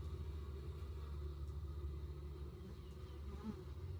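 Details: An unbroken, deep droning hum of many honey bees at the entrance of an insulated long Langstroth hive in South East Texas, with a faint higher buzz near the end.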